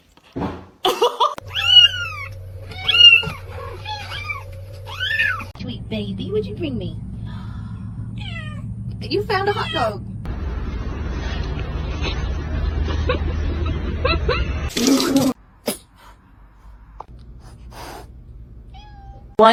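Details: Domestic cat in a home, giving a run of clear, arching meows that rise and fall in quick succession early on. Steady low hum, a burst of broadband noise and people talking follow.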